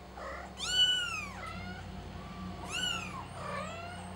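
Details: Kitten calling for help: two strong, high, arching meows that rise sharply and fall away, followed by a softer, thinner mew, with a low steady hum in the background.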